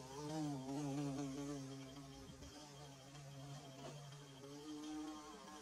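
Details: Nest-building bees heard at close range, captured on camera and phone; continuous low buzzing drone with shifting, slightly wavering pitch, swelling near the start and again toward the end.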